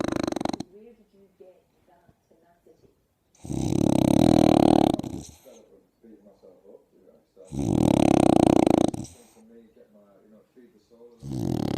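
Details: A very wrinkly French bulldog snores loudly while sunbathing, with rough, rasping breaths coming about every four seconds.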